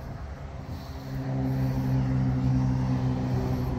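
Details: Steady low engine or vehicle hum with a droning rumble that swells after the first second; no animal voice is heard.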